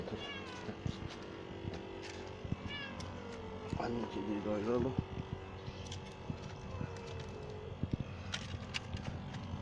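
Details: Mother cat tending her kittens in a small but healthy nest, giving one drawn-out, harmonic meow midway that rises and then falls, over a steady low hum with scattered clicks and soft rustling.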